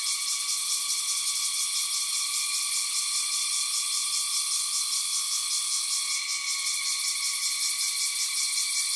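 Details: A dense insect chorus from a hilltop on Koh Samui, Thailand, gives steady high-pitched buzzing and trilling layered at several pitches.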